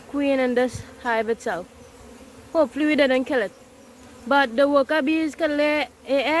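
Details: Buzzing honey bees around a massive hive being caught: repeated surges of humming drone with slight wavering pitch, each lasting under a second, separated by short lulls.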